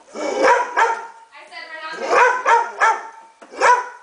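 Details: Pit bull giving short, sharp, high barks in quick pairs, with a drawn-out whine between them and a person's voice nearby.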